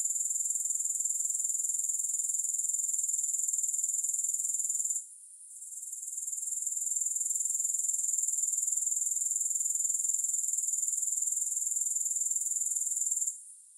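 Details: A continuous shrill, high insect trill from grasshoppers, with no music, dips into near silence around five seconds, swells gradually back, then cuts out again at the very end.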